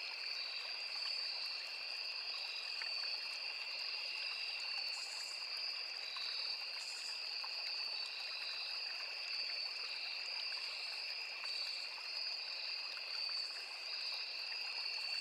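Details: Steady cricket and insect chorus at a forest stream: a dense, high ringing trill on two pitches, occasional short sharper buzzes breaking through every few seconds, all over the faint trickle of water.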